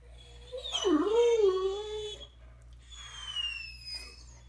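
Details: Great Dane woken from an afternoon nap, complaining in a squeaky voice about getting out of bed: a long wavering whine that dips and then levels off, followed by a thin, high, slowly falling squeak, over a steady low hum.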